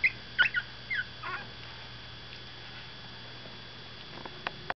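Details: Seventeen-day-old Miniature Pinscher puppies stirring after a nap: a few high, squeaky whimpers and short thin whines in the first second and a half, then near quiet with faint rustles and a couple of soft taps.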